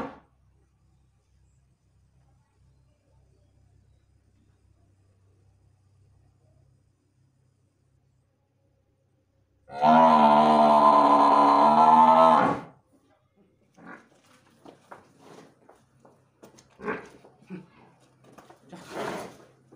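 A Murrah buffalo gives one deep, steady, droning moo lasting about three seconds after a long quiet spell.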